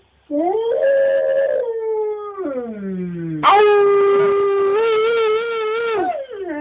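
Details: Clear howling from the husky/wolf hybrid Cash: a rising then long falling wail sinking low, followed by a strong sustained howl held steady for almost three seconds with slight wavering at the end.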